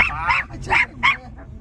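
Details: A Miniature Pinscher on a Sunday walk in Pederneiras, São Paulo, Brazil, on October 2, 2022, lunges at a passing motorcyclist while held back, giving three sharp, high, nasal yaps in quick succession over a low rumble.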